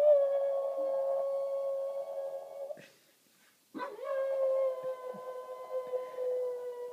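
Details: A Boston Terrier indoors, having a meltdown while trying to find a place to hide a bone, lets out long, sustained whines, steady in pitch, broken by a brief pause.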